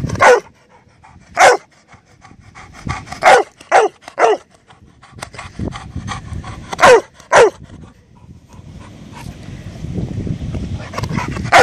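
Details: Labrador Retriever demanding its ball from a canine playmate hidden in the bushes: irregular bursts of sharp, harsh barks, sometimes doubled, separated by pauses with rustling and low outdoor rumble.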